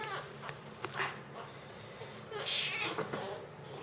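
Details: Jungle cat kitten being fed, giving short, soft mewing squeaks among faint clicks and rustling, with one brighter, higher-pitched squeal just after the midpoint.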